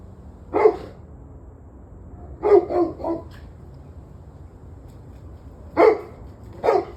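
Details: Dogs on 21 November 2023, 7:06 pm, giving a single bark, then a tight run of three barks, and later two spaced barks, with low steady background noise between them.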